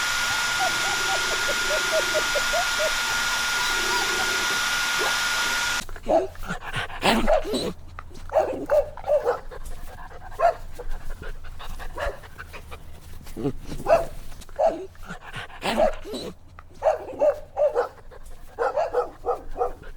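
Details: Little puppies playing outdoors in nature: after a steady humming background in the first six seconds, a run of short high yips and squeaky whimpers comes in quick, irregular bursts.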